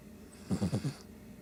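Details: Shih Tzu asleep and snoring, a quick burst of four low, pulsing rattly snore pulses in under half a second, with faint room hum before and after.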